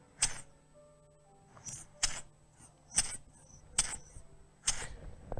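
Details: A bush-cricket (chicharra) stridulates in short, dry, high-pitched rasping bursts about once a second, played from a phone held to a microphone; listeners liken it to cowboy spurs walking, and children to someone laughing quietly.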